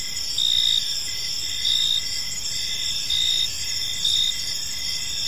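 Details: Park crickets at evening: a bright, sharp chirp bursts out roughly every 1.3 seconds above steady overlapping high trills from other insects, with quiet low-frequency ambient noise underneath.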